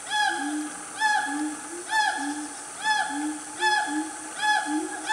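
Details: Loud family of wild siamangs in Gunung Nuang forest, Selangor, Malaysia, about 10 am on a cool morning. Low hoots alternate with rising and falling whoops, repeated roughly every second in a steady cycle.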